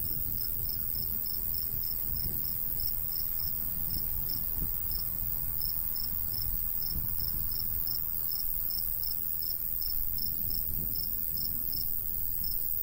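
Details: ['Summer countryside cricket beside golden wheat, breeze light: very regular high pulsed chirps, about two a second, steady for the whole stretch above a low wind hum.']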